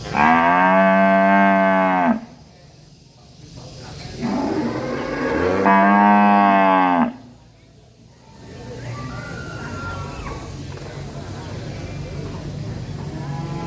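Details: Angry cow in a village calling repeatedly: a two-second moo, a short pause, then a longer rising-and-steady double moo, with low rumbling background noise between calls.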